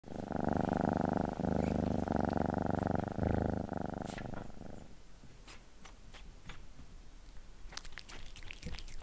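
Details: Cat eating a creamy treat on a glass table, close up; steady loud rumbling purr-like pulsing for about four seconds, then quieter licking and clicking sounds.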